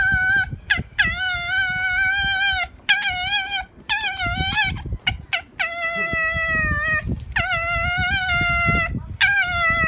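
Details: Angry fox at Zao Fox Village, Japan, in December 2016, fighting with another fox: long, loud, harmonic screaming whines held steady for one to two seconds, repeated with short gaps, over low rumbling noise.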